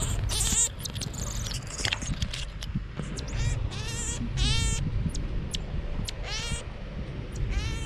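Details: Pet marmoset monkey at play on a bed with family members, uttering a string of sharp, high, arching chirps roughly every second, some doubled, against a constant low household hum.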